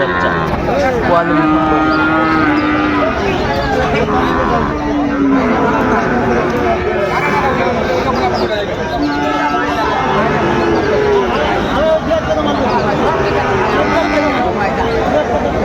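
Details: Sahiwal bull calves at the Raniganj cattle market in Dinajpur on 20 June 2024: several drawn-out, steady low moos recur through the clip under constant crowd chatter and trading talk, with vehicle rumble in the background.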